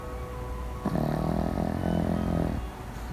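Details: A sleeping pet dog, one of three housemates: a fawn pug, a black-and-tan kaninchen dachshund and an apricot toy poodle. It gives one rough, throaty snore of about 1.7 seconds with a low buzzing rasp, over steady background music.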